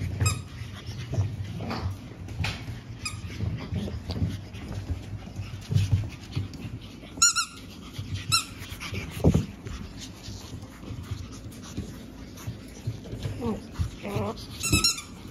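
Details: Litter of pug puppy siblings born 17 April, soon going to new owners; scattered shuffling and thumps indoors, broken by a few short, high-pitched squeaks, one pair midway and a quick squeal near the end.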